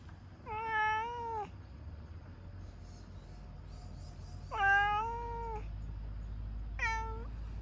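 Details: Orange tabby stray cat that loves being stroked, meowing while enjoying a massage: three clear drawn-out meows, the first two long and level with rich harmonics, the last shorter, separated by quiet pauses.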